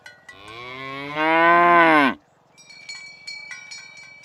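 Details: Tame cattle being herded in the morning toward the pen along village roads past green grass fields: one long, loud harmonic moo that swells and then cuts off abruptly, followed by soft, scattered cowbell clinks.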